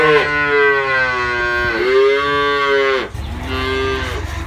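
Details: Cows, calves and adults, mooing: three drawn-out harmonic moos, the first two long and wavering, a shorter one after a brief break, with a low rumble of background noise at the end.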